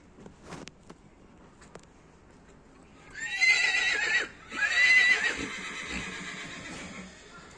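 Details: Horse whinnying: two loud, shrill, wavering bursts about a second long each, the second following a brief break, after a quiet start with a few faint knocks and taps.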